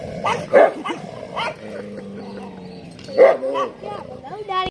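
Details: Street dogs fighting in the rainy season: a few loud barks at the start and near the three-second mark, separated by a low, steady growl, ending in a thin, wavering whine.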